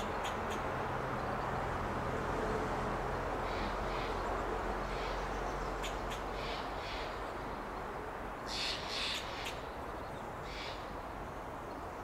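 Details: Alarm calls of a fox squirrel feeding in an oak in Del Monte Forest, California: clipped, harsh barks scattered through the clip, growing denser and louder near the end, over a low steady rumble.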